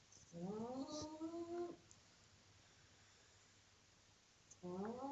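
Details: Loud pug snore in a small room, heard as a droning tone that slides upward in pitch for about one and a half seconds, a quiet pause, then the next breath starting the same rising drone.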